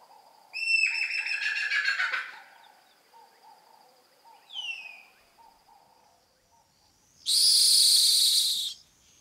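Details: A rock hyrax (dassie) at rocky outcrops in the African savanna gives harsh, rasping screams at night, with a brief falling squeal between them. Finding: rock hyrax.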